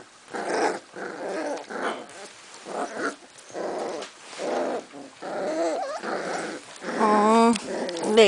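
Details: Litter of Cardigan Welsh Corgi puppies in Sweden arguing after visitors left, in March: rough, rasping growls in repeated bursts about once a second, with squeaky whines near the end and a woman speaking Swedish.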